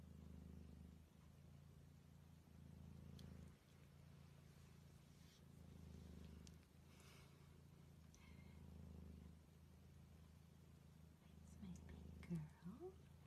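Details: Steady cat purring in rhythmic cycles of roughly a second each, one per breath, with short gaps between. A brief higher cat sound comes near the end.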